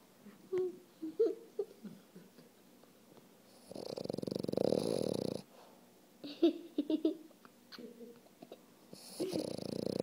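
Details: A male French Bulldog asleep on his toy snores in long, rasping, wheezy breaths, with softer snuffles and whimpers between them.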